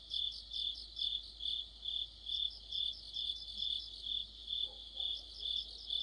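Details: Crickets and other insects chorusing in the middle of autumn, near a streetlamp: a steady high trilled band pulsing roughly twice a second in even waves, several overlapping chirping layers, with a faint low sound near the end.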